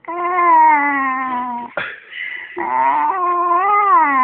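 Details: Eddie the dog, jokingly called possessed, voices a long moaning whine that slowly sinks in pitch, breaks off briefly with a strained rasp, then resumes as a wavering wail that rises and falls again, close and loud in a quiet room.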